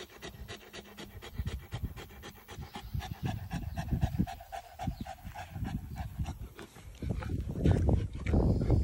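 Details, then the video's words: Saint Bernard dog worn out by hot weather during a shortened walk outside; fast, steady breathy panting, nearly four breaths per second, growing louder and rougher toward the end. "Saint Bernard is sooo tired"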